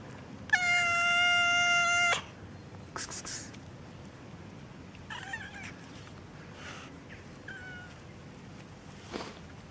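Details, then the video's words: Cat meowing on the street, one of two cats, tortoiseshell and calico: a single loud, harmonic meow of about one and a half seconds, steady then slightly falling, followed by quieter scuffs and faint higher calls amid outdoor background noise. "Zwei Katzen miauen auf der Straße"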